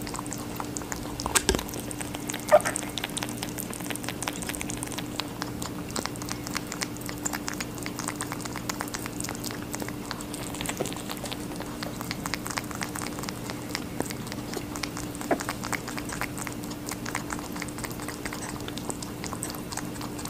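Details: A rabbit chews watermelon with quieter, sparser wet crunches and soft clicks spread across the stretch, over a low constant hum in a small room.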